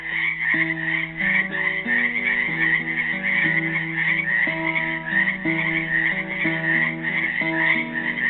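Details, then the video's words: Continuous pulsing frog chorus from frogs trapped in a Helix, Oregon pool, Earth Day 2016, running throughout as a classical guitar plays a steady sequence of plucked notes. "GUITAR AND FROGS SINGING"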